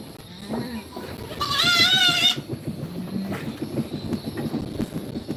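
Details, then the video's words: Goat kids playing in a goat pen; a single long, trembling, high-pitched bleat lasting about a second dominates, surrounded by quiet voices and shuffling sounds. "Funny Goat Kids Sounds"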